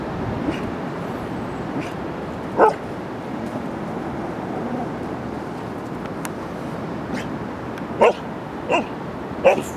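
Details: English Pointer playing in a pool on the beach, giving a few short sharp barks spaced irregularly, one near the start and a cluster toward the end, over steady splashing water and surf noise.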